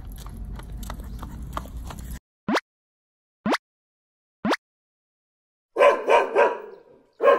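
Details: Bichon Frisé puppy, nine months old, out on a walk at Jeongja Park in Suwon while its owner exercises: three short, sharp rising swoops in a quiet gap, then a cluster of harsh, rough barks near the end, after earlier outdoor background noise.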